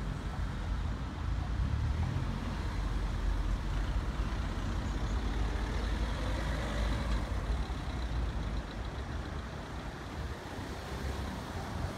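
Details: Steady low rumble of passing vehicle traffic and engine noise, with no animal sound heard.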